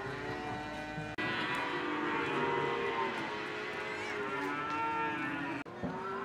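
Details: Lowing cows at a busy cattle market in Ambarketawang, Gamping, Yogyakarta, Indonesia: sustained, resonant moos overlap almost continuously for several seconds, over a steady hum of market background noise.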